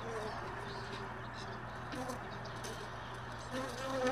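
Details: Honey bees buzzing around hive boxes left all day in a truck bed, most bees having left overnight; steady droning hum with wavering flight tones passing through, a low constant hum beneath, louder near the end.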